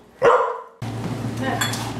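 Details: Pit Bull, a female pet, indoors while learning to fetch a single-serve wine bottle from the fridge: one short, loud bark, then quieter room noise with a low hum.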